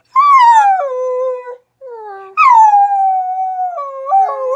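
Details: Rat Terrier and Australian Shepherd mix howling: a descending wail, a short low note, then a longer howl that rises sharply, settles, and wavers with small upward inflections near the end.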